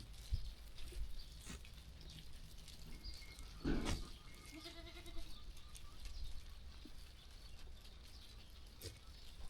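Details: Sheep on a farm, walking and grazing in a calm setting; a short bleat with stacked harmonics rises out of low rumbling background noise, with faint higher calls and scattered knocks.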